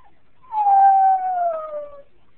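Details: Jack Russell Terrier crying when its owner leaves, a single long tonal whine starting high and gliding gradually lower for about one and a half seconds, clear against a quiet room; a person speaks to it afterward.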